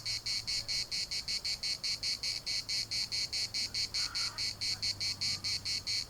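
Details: Chorus of cicadas at the municipal park in Larnaca: a high, harsh buzzing throbbing in rapid, even pulses, a couple each second, with a faint lower call briefly near the end and soft wind beneath.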